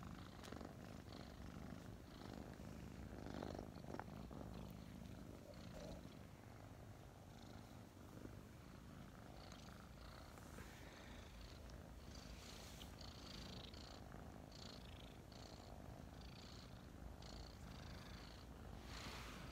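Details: Two domestic kittens, Mint and Mocha, about five months old and newly adopted, snuggling indoors in the morning; a steady low rumbling purr runs throughout with soft rustling and small bumps of movement.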